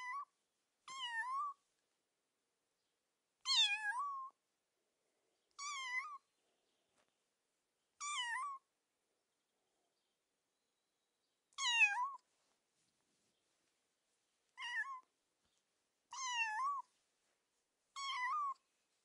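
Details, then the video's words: Cat giving a series of about nine short meows at irregular gaps of one to three seconds, each clear and harmonic with a slight rise at the end, against a silent background. "Cat meowing sound"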